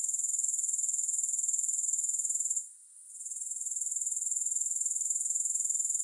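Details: Grasshoppers produce an unbroken shrill pulsed buzz, very high-pitched and evenly rhythmic, interrupted by a brief dip near the middle before the steady trilling returns.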